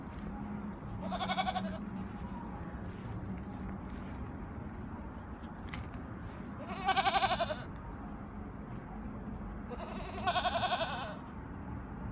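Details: Barbari goats on a farm in Gorakhpur; three short wavering bleats about three to four seconds apart over steady low farm hum and background noise.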